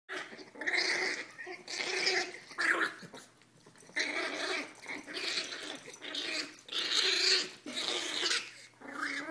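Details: Two teacup Chihuahua sisters play fighting indoors, one black; bursts of high, rough growling and snarling come in repeated waves of about a second each, separated by short pauses.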